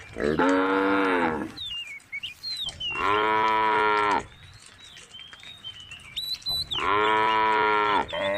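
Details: A female cow from a group of tame cows on Jalan Kampung gives three long, steady moos, each about a second and a half, with small birds chirping between.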